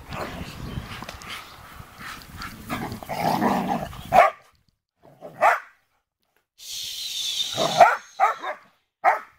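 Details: Sheepadoodles as puppies meet the big dogs: after a stretch of muffled rustling and handling noise, a series of short, sharp barks rings out, spaced a second or more apart, with brief silences and a hissing burst between them.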